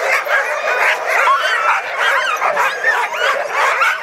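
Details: Excited sled dogs at Caribou Crossing pour out rapid, irregular yips and short barks, about two or three a second, layered over constant whining from the pack.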